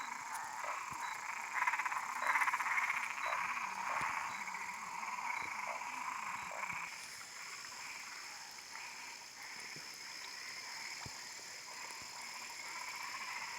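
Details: Several frogs croak together in quick, pulsing bursts, roughly a hundred per minute, loudest in the first half and then fading to a softer, continuing chorus over a steady background hiss.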